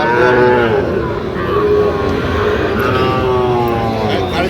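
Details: Long, sustained bellow from Sahiwal bull calves for sale at a Jamalpur cattle market, Bangladesh, 31 August 2025; one even, tonal moo with a second held note later, over busy market voices and engine noise.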